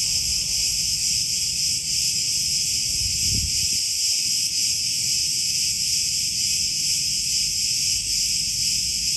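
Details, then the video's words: Many cicadas calling together in olive groves on Crete, Greece, producing an unbroken, shrill, hissing buzz that holds a constant loudness, with a brief low thump near the middle. "Cicadas Orchestra in Olive Groves"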